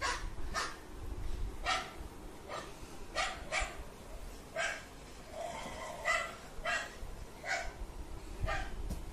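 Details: A golden retriever puppy reacts to another dog barking with a series of sharp, bright barks at irregular intervals.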